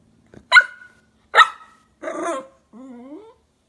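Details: Jack Russell Terriers Luna and Lino: two sharp, loud barks about a second apart, then a rougher, drawn-out bark and a thin, slightly rising whine, each separated by clear silence.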